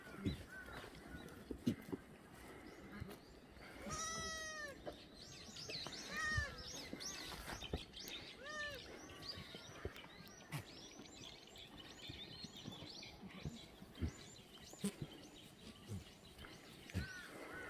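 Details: Free-range black goats in a farm exercise yard below Muchuksan, Gimhae, South Korea, on a sunny Tuesday morning; several quavering bleats around four to nine seconds from different animals over a busy background of clatter and other faint calls.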